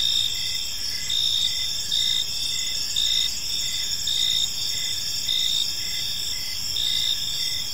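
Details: Crickets chirping in a peaceful park in the evening: a steady high-pitched trilling chorus with pulsed bursts repeating roughly every second, layered bands of several callers, and a faint low background hum.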